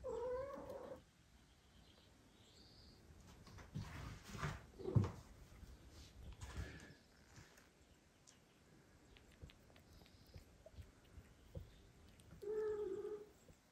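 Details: Indoor cats: a mother cat refusing to nurse two foster kittens, with the father cat helping. A short meow opens, quiet rustling and handling noises follow, and another brief meow closes.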